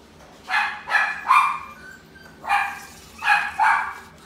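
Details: Chihuahua at a pet shop, Inu no Ie Shippo branch, giving short high yapping barks in two bursts, three quick barks then a pause and three more, over a faint steady background hum.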